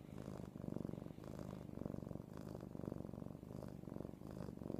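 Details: A pet cat, held and spooned, purring hard: a low, throaty vibrating drone that swells and eases with each breath, about every second.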